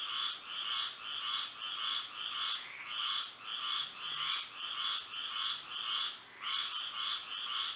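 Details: Night frog chorus in Florida by moonlight, many callers pulsing together in regular rasping bursts close to two each second, layered over a constant thin high-pitched drone.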